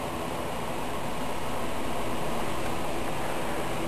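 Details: Steady broadband hiss and rumble fill the whole recording, like vehicle or engine noise, and no animal call stands out.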